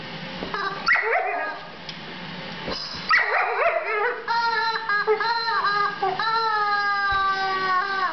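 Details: A Border Collie playing with her rubber chicken, urged by a woman asking how much she likes her chicken, gives short yips and drawn-out whining vocalisations mixed with long squeaks from the rubber toy.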